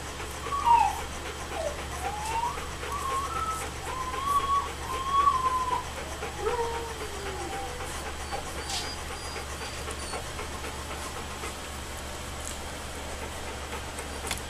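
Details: Alaskan Malamute puppies, two and a half weeks old, from Macy and Jack's summer 2014 litter, nursing: thin, high whining squeaks that rise and fall over the first eight seconds, then fade, over a steady low hum.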